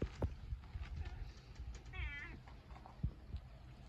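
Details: A two-coloured cat kept with a lizard gives one short, wavering meow partway through, with soft thumps and handling noises around it.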